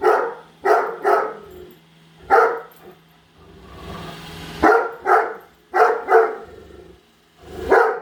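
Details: Padme, a pet Great Dane, barking at a Roomba vacuum she hates, following it around the house: loud harsh barks in pairs and clusters of two or three, separated by short pauses with a hum of the robot between.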